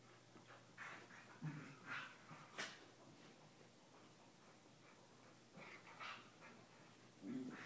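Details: Two corgis playing together indoors, necking and licking each other; soft snorts and snuffles come in short bursts, with a couple of brief low whimpering grumbles between quiet pauses.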